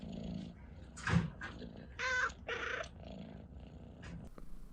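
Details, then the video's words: Domestic cat chirping indoors: two brief, bright, harmonic chirps in quick succession near the middle, with soft muffled thumps and low room noise around them. "CAT CHIRPS UNCONTROLLABLY"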